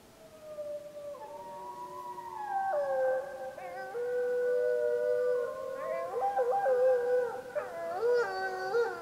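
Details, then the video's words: A Snake River pack gray wolf pup howls and the unseen pack returns its howls, long smooth overlapping tones in a wavering chorus; Summit Ridge, Wallowa County, 25 July 2012, recorded during a pup survey. "Snake River Wolf Pack Howling 7-25-12"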